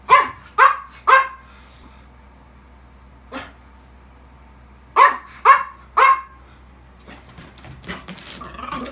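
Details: An English Bulldog and a Miniature Pinscher at play: sharp, bright barks come in a quick burst of three, a single softer bark follows, then another fast trio, ending with faint shuffling and scratchy household noise.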